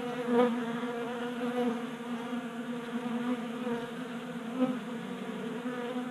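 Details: Honey bees feeding at a 3D printed tabletop feeder in a garage in Colorado in January during warm weather, a continuous buzzing hum with stacked steady tones and small swells as bees move about.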